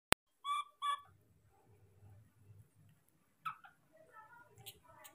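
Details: Baby monkey calling repeatedly for its father to arrive with food: pairs of short, high, squealing cries, then a stretch of low humming background before more clustered squeaks and chirps.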